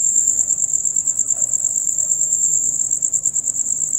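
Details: Male crickets chirping loudly and rapidly, as heard from dusk until dawn: a bright, high, evenly pulsed trill fills the short stretch without pause, with only soft low rumble underneath.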